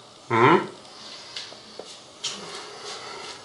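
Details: Domestic cat indoors, scolded in Russian for knocking over seedlings: one short harmonic meow lasting under half a second, followed by a quiet room with faint taps and rustles.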